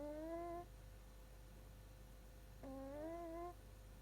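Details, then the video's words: A Shiba Inu puppy is snoring in its sleep. Two squeaky, whistle-like breaths, each under a second and rising slightly in pitch, are spaced about two seconds apart over a quiet, steady background hum. "いびきをかく赤ちゃん柴犬がかわいい Snoring puppy"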